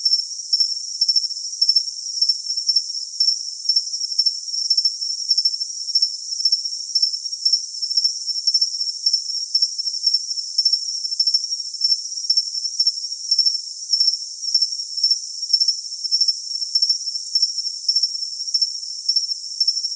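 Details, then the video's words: Cricket sounding a continuous high-pitched ringing hum broken by evenly spaced short chirps, roughly two per second, keeping a steady rhythm throughout with no other sounds. "Cricket Sound for Tinnitus Masking"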